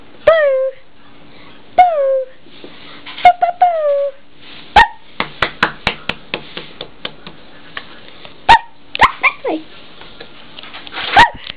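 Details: Eight-week-old blue and white whippet puppy named Bo, female: three high, sharply falling whimpers about 1.5 seconds apart, then a run of short clicking taps and scattered squeaky yips.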